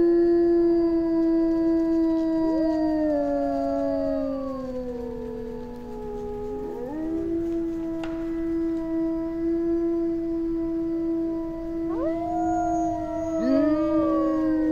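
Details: Wolves of a howling pack in jungle: drawn-out, smooth tones sustained together at separate pitches. One voice dips low and climbs back, and short rising whoops break in near the end.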